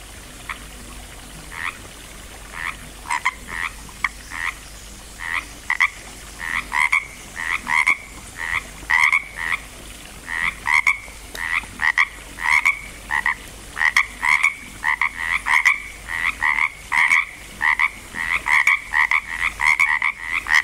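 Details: Frogs croaking at Langlois, Oregon, as they are getting going: overlapping two-part ribbit-like croaks, a lower note paired with a higher one, repeated in quick bursts that grow denser and louder toward the end.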